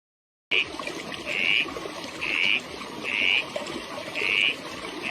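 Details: Frog. A frog calls in brief, bright, buzzing trills at a fairly high pitch, each lasting a fraction of a second. The notes repeat roughly once per second against a constant background hiss, perhaps running water.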